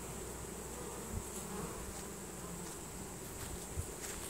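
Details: Honey bees of a swarm marching into their new hive, signalling with Nasanov pheromone; an unbroken, even buzzing drone, with a couple of soft knocks around one and four seconds.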